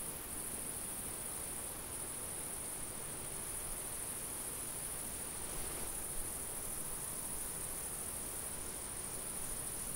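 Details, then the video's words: In a summer field, a cricket chorus makes a steady, high, sizzling trill with no breaks, set against a background hiss of light wind. "Summer field ambience-cricket, insect and light wind sounds"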